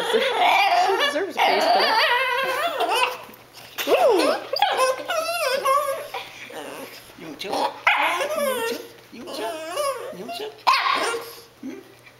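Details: Pet dog Cassie begs for the food her family is eating, producing a long stretch of warbling, rising and falling whines and yips that run almost continuously, mixed with human voices in a small room.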